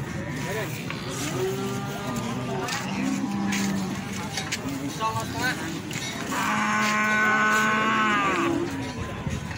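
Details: Feeder cattle at the Plaosan cattle market in Magetan: two long, steady low moos, one near the middle and a louder one late on, under constant crowd chatter and vehicle noise.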